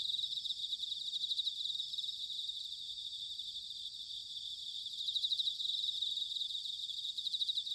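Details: Autumn insect chorus with bell cricket trills, recorded in Sanuki, Chiba Prefecture, Japan: high, buzzy pulsing that grows louder in the second half over a faint low rumble.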